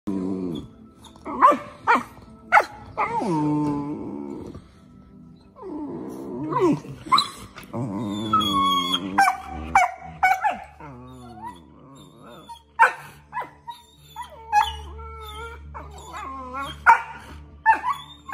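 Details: Two Australian Shepherd puppies squabble at length over who gets to chew a bone, with rumbling growls, whiny yelps and sharp yips.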